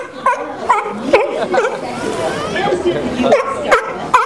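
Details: Sea lions at SeaWorld giving sharp, harsh barks, repeated about every half second in short bursts, over steady crowd chatter and voices.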